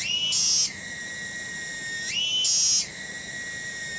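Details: Cicada, locally tonggeret, loud for its small size, singing in a garden at Kampung Bunder, Cibening, Bungursari, Indonesia; a shrill ringing tone that twice leaps up into a brighter, louder pulse before dropping back.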